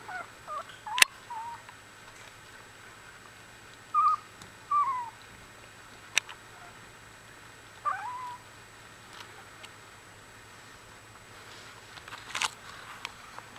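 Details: One-week-old Australian Bulldog puppies from a litter give brief, high squeaks and short whines spaced a few seconds apart. Scattered clicks and soft rustling sit against a quiet indoor background.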